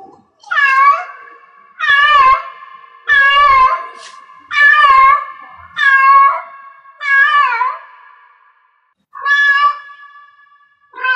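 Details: Domestic cat in heat giving a steady run of drawn-out, harmonic meows, roughly one every 1.3 seconds, each swelling then fading, with a brief gap before the last few calls; quiet indoor background.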